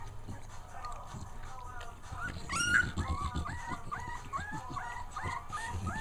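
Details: Two-week-old puppy whimpering indoors: a string of short, high, rising-then-falling yelps repeated about every half second, with a person talking and household noise in the background.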